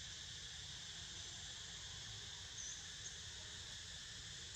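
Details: Cicada chorus heard while Niko sleeps: a constant high, shimmering buzz with no gaps, a few faint brief chirps rising above it midway and near the end, and a soft low rumble beneath.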